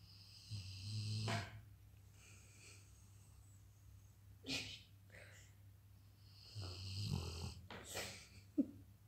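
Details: Weimaraner dog asleep at home, snoring: two long raspy rumbling snores about six seconds apart, each lasting roughly a second, with faint breathy noises in between.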